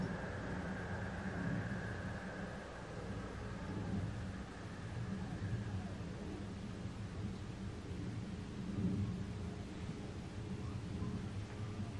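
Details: Steady rumbling of thunder and rain, with low engine-like drone throughout and no animal voice.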